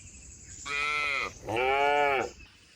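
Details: {'caption': 'Cattle driven through forest to their shed, jumping cheerfully; two back-to-back nasal, harmonic calls, the second longer and slightly bending in pitch.'}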